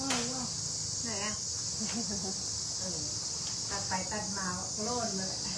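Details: Outdoors, cicadas keep up a constant shrill hiss, level and unbroken, as a baby sits watching her father work; adult voices chatter over the drone throughout.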